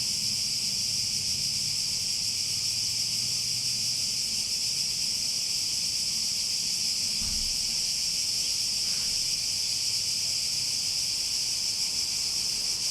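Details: Steady shrill buzzing of many cicadas, constant and unpulsed, with a brief low thump partway through and a faint rumble beneath the chorus.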